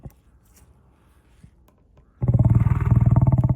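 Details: Lion giving a sudden deep roar after near quiet, loud and grainy with fast regular pulsing, low-pitched and sustained to the end.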